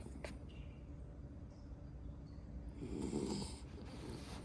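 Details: Sleeping miniature poodle snoring softly, with a breathy, raspy snore swelling near the end of the short stretch over a steady low hum of background noise.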